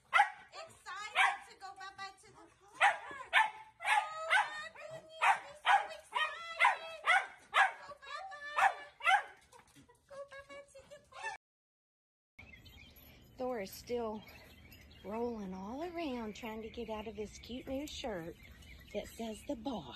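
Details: Playful Dachshund puppies give a fast run of high, sharp yips, about two per second, for around eleven seconds; after a brief silence, murmuring voices and softer squeaky sounds follow.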